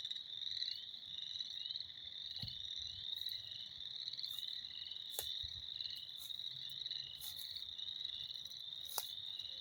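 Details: Springtime frogs in full chorus, a constant high piercing trill from many callers blending into one steady drone, broken by a few sharp clicks and knocks nearby.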